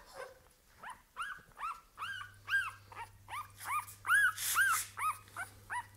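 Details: Two female Staffordshire Bull Terrier puppies from a kennel litter give thin, rising-and-falling whimpers about twice a second, voices overlapping, over a low steady electrical hum.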